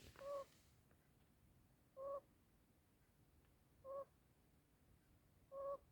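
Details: Pet male African pygmy hedgehog snoring while asleep, something he rarely does; short squeaky two-toned whistling breaths, each about a quarter second long, recur roughly every 1.8 seconds, four in all, over a quiet indoor background.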